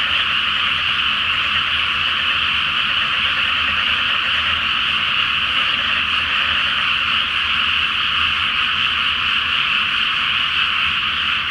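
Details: Chorus of frogs at night over a flooded paddy awaiting rice planting, full moon overhead, Japan; a thick, unbroken wall of croaks holds steady throughout, with a faint low rumble beneath.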